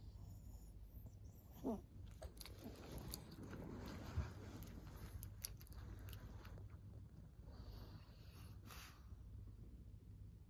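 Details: Maria, a 14-year-old fawn female senior pug in Japan, recorded 26 August 2024, chewing indoors: scattered soft crunchy clicks come in uneven bursts over a low steady hum, with one louder bite near the middle.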